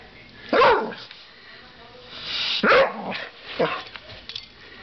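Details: American Staffordshire Terrier playing with a coat hanger, giving short sharp barks, two loud ones about two seconds apart and a softer third, with rustling between.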